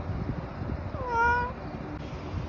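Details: Single meow from a spoiled tabby cat eating treats, a clear harmonic call lasting about half a second that starts with a slight rise and holds steady before fading, against soft low-frequency room noise.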